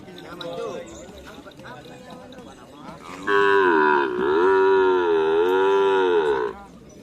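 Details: Bull at karapan sapi race training on the Asemanis field: voices and crowd noise, then a loud, long, rich moo lasting over three seconds, with a slight wavering dip midway before stopping.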